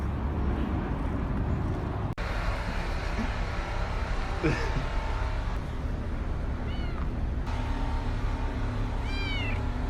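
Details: Stray black kitten meowing as it approaches a man outdoors: thin, rising-then-falling mews, a few short ones and a clearer one near the end, over steady traffic noise and a man's soft speech.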